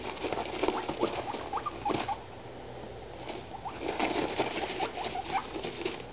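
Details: Guinea pigs Dum Dum, over three years old, and Moo, a curious one-year-old, exploring a freshly cleaned cage indoors; brief soft rising squeaks come in small bursts over steady rustling and pattering of feet on bedding.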